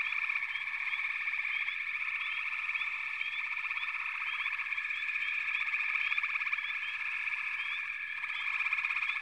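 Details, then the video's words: Many frogs calling together in a steady, unbroken trilling wash, overlaid with quick rising chirps every second or so from individual callers. "FROGS - Pig Frogs, Water Frogs, Backwater Chorus, & Frog Chorus"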